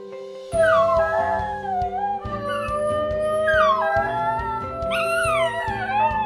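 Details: A Basenji yodels instead of barking, in sliding, wavering howl-like tones over background music; the yodel is thought closer to a wolf's howl, possibly for long-distance communication with human hunting partners.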